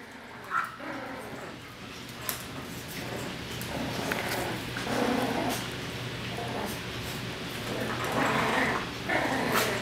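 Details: Yorkshire Terrier puppies playing with an old Australian Cattle Dog give high, sharp yips and small barks in quick, uneven bursts.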